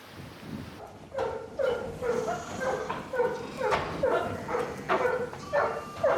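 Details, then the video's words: Sheepdog at a tourist farm in New Zealand, barking while herding sheep into their pen; steady run of short barks about twice a second, over a noisy outdoor background. "개 짖는 소리와 함께 양들이 질서 있게 축사로 들어온다."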